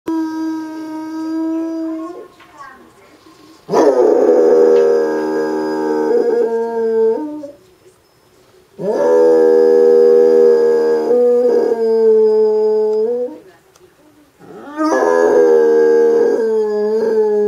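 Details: A Basset Hound gives long, mournful howls in three drawn-out bouts, each wavering and sliding in pitch, responding as he always does to the town's regular 2pm Monday public announcement.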